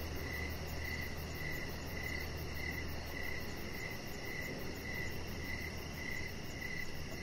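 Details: Crickets at evening by a deck where a chihuahua puppy lounges, giving a steady train of bright, closely spaced chirps, with a faint low hum and airy background noise throughout.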